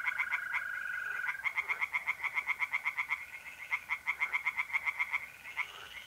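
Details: Tree frogs singing in a pond on an April night in north-east Italy, rapid pulsed croaks repeated about four times a second in dense overlapping series, with a steady high trill of mole crickets running beneath.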